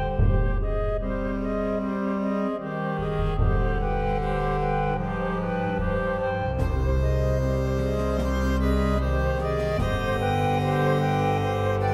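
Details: Bowed string music with deep cello and double bass lines plays steadily throughout, with no animal sounds.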